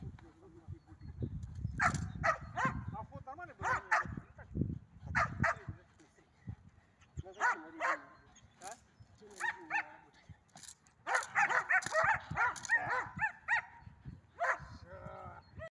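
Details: Belgian Shepherd barking during training on 31 March 2024, first releases: scattered sharp barks that grow into a dense, fast volley near the end, mixed with people talking and low rumbling handling noise.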